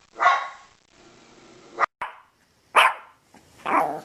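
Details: Hoarse, drawn-out barks from a dog, three loud bursts over four seconds with a noisy rasp between them.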